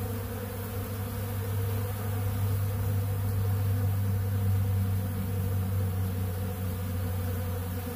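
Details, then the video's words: Honeybees feeding on bee pollen at a big blue pollen feeder make a steady, dense low hum that stays even and unbroken throughout, with no pauses or distinct calls. "Therapeutic Treatment Sounds Of The Honeybees"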